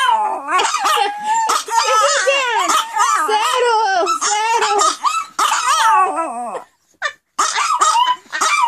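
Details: Pomeranians howling together indoors after their owner starts to howl; a chorus of quavering, overlapping howls and yips, continuous and loud, with a brief gap near the end before the howling resumes.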